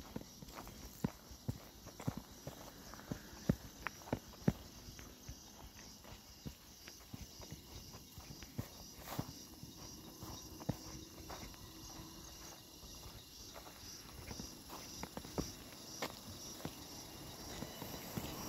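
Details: Cicadas keep up a steady, high, bell-like ringing drone in the summer air of the Barog hills, with chirping sounds and footsteps crunching close by.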